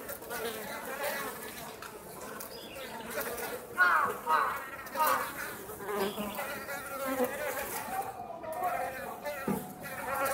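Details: Foraging Japanese honey bees at an overwintering hive at Osaka Castle, Japan, active on a warm Indian-summer day. Humming wingbeats rise loudly as bees pass close, with wavering tones and steady low buzzing between the passes.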